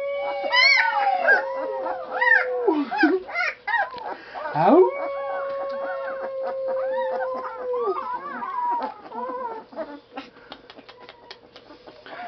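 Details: Blue, a dog in a howling lesson in a small room, gives two long, level howls lasting several seconds, with a swooping rise between them, while a person keeps calling "Howl?" over and around them.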